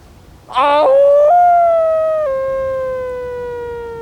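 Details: Wolf howl opening with a rough, broken onset, then settling into a clear, steady tone that steps up slightly, holds, and drops a little, sustained loudly for over three seconds.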